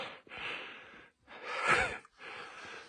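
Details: Coyote caught in a cage trap, heard through three breathy, harsh huffs and snorts of about a second each, separated by short silences, the middle burst louder with a brief rough tonal edge.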